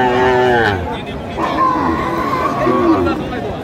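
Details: Lean, bony cows at the Aftabganj cattle market in Dinajpur on 15 April 2025: a low, drawn-out moo opens the clip, followed by men talking and haggling over prices amid market chatter.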